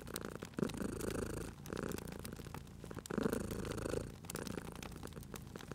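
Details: Sleeping cat purring next to a crackling fireplace, cozy spring ambience; rhythmic low purr in alternating inhale and exhale phases about every one and a half seconds, with bright snapping wood crackles overlaid.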